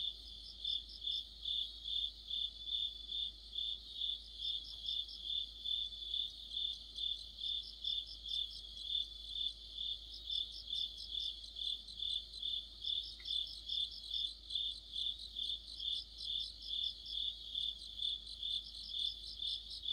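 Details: Autumn cricket chorus under a streetlight, insects singing together. Regular piercing chirps pulse around twice a second, while repeated bursts of fast, higher trills from another caller come and go every few seconds.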